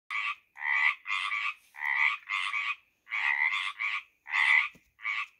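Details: Tree frogs in spring calling in a steady run of harsh, rasping croaks, each lasting under half a second.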